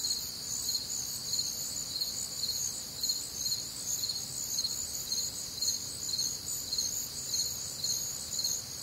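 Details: Crickets and other nocturnal insects recorded on a warm, humid Midwestern summer night, a dense high chorus of rapid pulsed chirps about twice a second layered over a steady shrill trill, no other clear sounds.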